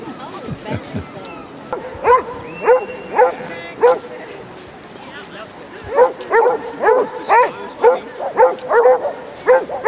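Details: Deep, baying barks from Basset Hounds on a 37-dog group walk of four miles on Exmouth beach, repeated in bursts about twice a second with a short lull between, over people chatting nearby.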